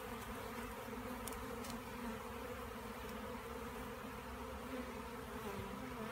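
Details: Dense, even buzzing of bees, a thick unbroken hum with a couple of faint taps early on.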